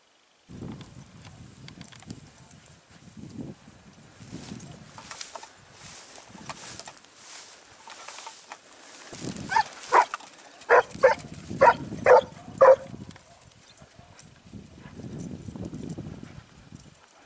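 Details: Segugio Italiano hound in training near Sofiko, Evros, on 12 September 2018: a burst of about six sharp, evenly spaced barks midway through, set against rustling and crunching footsteps moving through vegetation outdoors.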